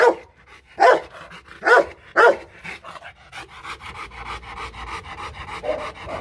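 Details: Rottweiler Loki, a Vietnamese champion at the Gervi kennel in Hanoi, barks to warn in play, not yet an attack threat: four booming barks in the first two and a half seconds, then softer panting and rustling.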